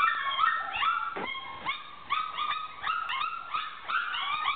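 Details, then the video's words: Four-week-old puppies making loud noises: a chorus of overlapping high whines and yelps, many sliding up and then dropping, with short yips packed closely together and repeating throughout. "Loud noises by puppies 4 weeks old"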